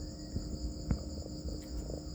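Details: Farmed crickets keep a level, unbroken shrill trill, while sharp clicks, one louder knock and light rustling sound over a low hum.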